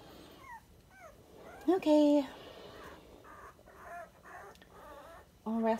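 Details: Indoors, 23-day-old Dachshund puppies whimper in short high squeaks, then a louder nasal whine and a final loud whine at the end, with shuffling between.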